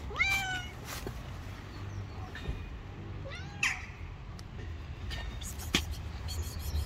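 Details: Long-haired tabby kitten living on the street, meowing several times in short rising-then-falling cries, with clicks, rustling and a low rumble of traffic behind.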